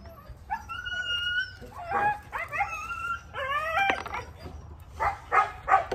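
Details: Husky giving a big vocal outburst: drawn-out, wavering howl-like cries with rising and falling tones, broken into short bursts, ending in sharper yips.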